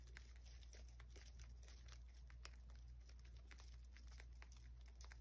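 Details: A rabbit chews steadily while eating, giving quick crisp crunches and crinkles over a low indoor hum.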